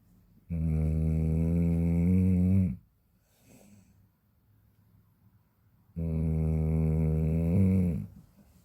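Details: Sleeping Chow Chow, a large dog, snoring hard: two drawn-out, deep, vibrating snores about two seconds each, humming and almost human-sounding, with a faint breath between them.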